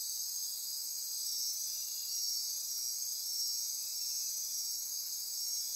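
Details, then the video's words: Nocturnal insect chorus from the Osa Peninsula rainforest, Costa Rica, near Corcovado National Park: several piercing high trills blending into one even, pulsing drone for the whole stretch. "Midnight Insect Chorus"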